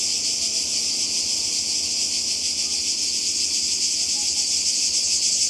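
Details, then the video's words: Croatian coast in summer 2020, where cicadas drone in an even, high, rasping buzz with a quick throbbing pulse, steady from start to finish above a soft low background hum. "Kroatien Zikaden und Meer"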